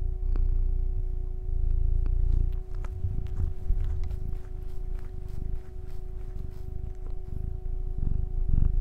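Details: A male house cat purrs loudly, a low throbbing rumble broken by scattered small clicks and smacking-like ticks. A faint steady tonal hum is also present.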